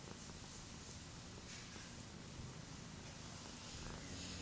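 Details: Tabby tomcat purring under a human's hand, a steady low pulsing rumble that continues unbroken through the short stretch, with light hiss of background noise.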